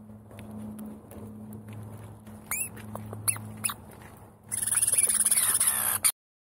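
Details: Squirrels squabbling over seeds, giving a few sharp, high squeaks that sweep up and down in short bursts, then a fast run of rapid, harsh chattering notes near the end, with low hum underneath.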